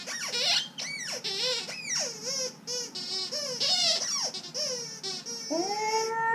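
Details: Alaskan Malamute giving high, wavering whine-like cries that rise and fall in quick swoops, with bright overtones and brief gaps between phrases, ending in a steadier drawn-out tone.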